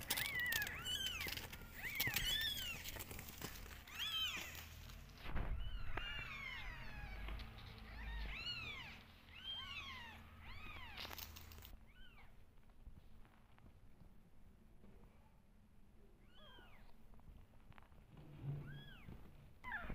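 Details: Mother cat and two kittens, unwell from antibiotic side effects, calling in a steady stream of high thin arching meows, often several overlapping, thinning to sparse single cries after twelve seconds amid a low background hum.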